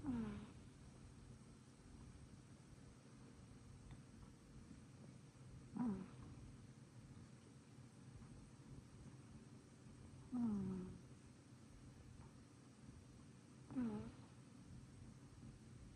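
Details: A sleeping female short-legged Munchkin cat, born 2022, snores with short, falling, nasal squeaks every four to five seconds.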